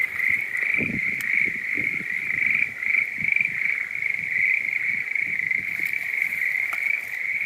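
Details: Schlegel's green tree frog found in woodland between a breeding-season marsh and deep mountains in Japan; a dense, continuous chorus of rapid trilling calls held at one steady pitch, with low rustling and handling noises underneath.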